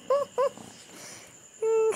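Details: Female Rhodesian Ridgeback pet dog whimpering: two short arched whines in quick succession, then a longer steady, even-pitched whine after a pause, over quiet background hiss.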